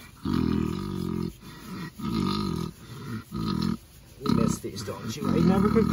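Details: Ms Piggy, a pet pig, drifting off to sleep as she is scratched: deep, rough snoring pulses roughly every second, steady and low, with a soft human voice near the end.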